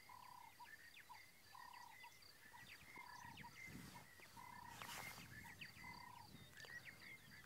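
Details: A chorus of frogs gives short, repeated mid-pitched croaks over fainter, higher calls, heard in open country on Djuma Game Reserve area, South Africa, on February 22, 2017, near impala.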